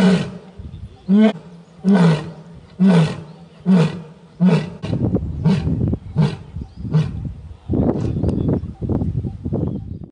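A lion roars in a series of deep, throaty bursts that trail off into shorter grunts.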